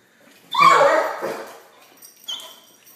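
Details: Pit Bull on a couch asking for a treat it is being offered; one drawn-out, high whining bark lasting about a second, followed by a faint short squeak.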